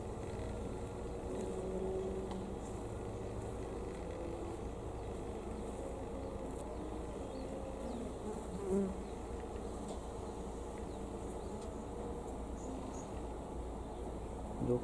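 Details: Honey bees gathering at knotweed flowers by a house in Thailand, recorded the day before leaving the country; a steady low droning hum of wings runs throughout with a few brief louder passes, and faint speech.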